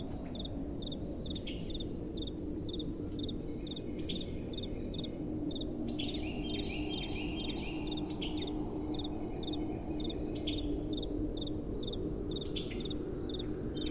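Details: Several crickets chirp at night in gentle wind, their high regular pulses overlapping, with a busier patch of quick wavering trills midway, all above a continuous low wind hiss.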